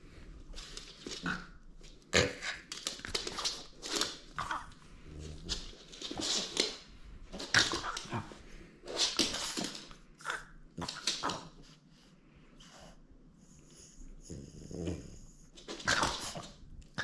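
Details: French Bulldog indoors in a small room, playing and refusing to give up its toy; rough, breathy growls and grunting bursts come in quick irregular runs, with brief whimpery notes and pauses between bouts.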